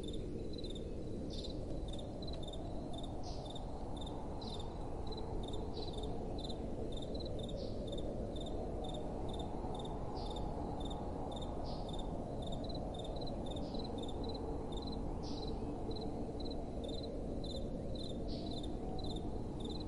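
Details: Night crickets with soft wind blowing: steady trains of high, thin chirps, each a tight burst of pulses, recurring about once a second above a broad low wind roar that swells and fades.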